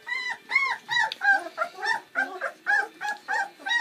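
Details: Seven Bernese Mountain Dog puppies, born on Valentine's Day 2013, at their first feed on Mothering Sunday: high, arching, whiny squeals repeated about three times a second in a steady, insistent chorus.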